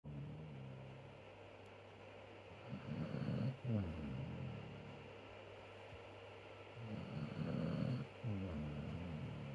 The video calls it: Snoring basset hound, Flash